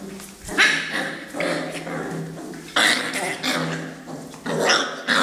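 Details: Mastiff giving a few loud, rough barks in separate bursts spaced about two seconds apart, with people talking in Arabic close by throughout.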